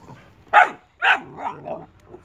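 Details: Playing Boxer dogs, a puppy and an adult, letting out two loud abrupt barks about half a second apart, followed by softer yipping, grumbling notes trailing off.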